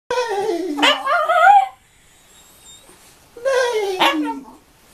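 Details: Pet Schnauzer dog singing indoors: two drawn-out howls, each starting high and sliding downward with a brief upward lift in the middle, separated by about two seconds of quiet.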